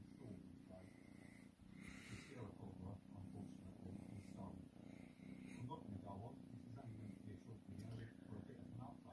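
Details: Cat being cuddled, purring continuously in a deep, even, throbbing drone, with a person talking softly over it in a small room.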